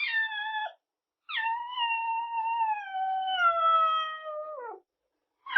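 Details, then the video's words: Kittens calling: one short mew followed by a long, drawn-out plaintive cry lasting over three seconds, steady then falling at the end, in a quiet setting. "Kittens | Cat sound"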